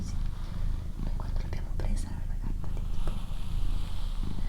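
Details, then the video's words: Doroti, a female pet cat, purring indoors: a steady low rumbling purr continues throughout under soft, close whispered human speech. "ASMR Cat Purring & Whispering"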